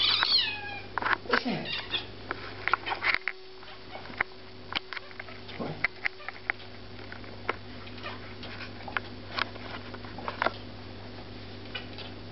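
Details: A Devon Rex cat talking to a bird gives a few quick falling meows, then soft clicks and chirps over a steady hum.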